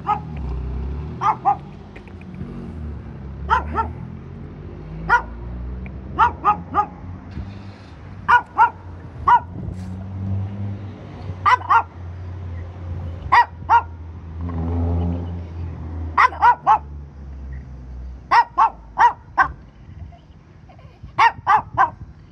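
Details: Dog barking while waiting for its owner: sharp single and doubled barks repeated every second or two, over a steady low engine rumble like a vehicle idling nearby.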